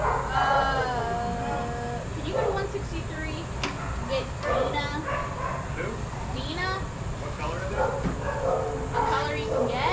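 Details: Shelter dogs playing together at a daycare let out drawn-out tonal whines followed by clusters of sharp yips and short barks from several animals, layered over steady indoor background noise.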